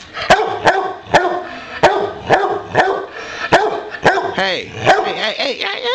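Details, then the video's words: Bowser, a pet boxer who barks when he wants to play, gives a run of sharp barks about every half second while a man repeatedly shouts "hey" and tells him to give it a break. "Bowser the boxer wants to play again"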